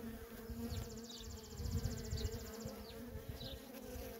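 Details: Worker honey bees in nonstop traffic at a feral colony: a dense, steady droning hum with a strong low rumble underneath, and a faint high pulsed trill running for about two seconds.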